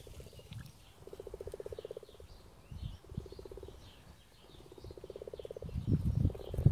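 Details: Frogs during mating season, calling in a series of low, rapid pulsed trills, each burst about a second long, separated by short pauses. Faint high chirps and low rumbling noise sit in the background.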